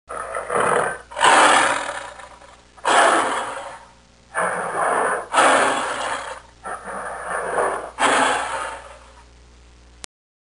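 A tiger gives a series of harsh, rasping roars, each burst about a second long.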